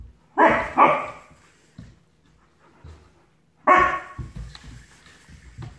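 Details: Puppy barking at a toy while getting brave: two quick, harsh barks close together, a long pause, then a third bark, with soft rustling and a man's voice starting afterwards.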